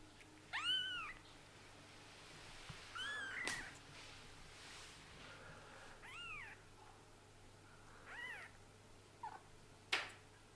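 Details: Scottish Fold and British Shorthair kittens, eyes just opened, indoors. Several thin, high mews arching up and down, scattered at about 0.7, 3, 6.3 and 8.2 seconds, with a few sharp clicks and a steady low hum.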